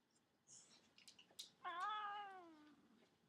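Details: Domestic cat resting in a baby cradle meows once, a long tone that bends down at the end, after a few faint rustles and clicks; a woman talks to it before and after.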